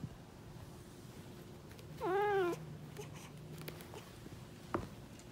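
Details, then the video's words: Black male cat pleading to be let outside: one clear, medium-length meow that bends up then down, followed by quiet with a soft click, over low background hum. "FUNNY CAT BEGS TO GO OUTSIDE"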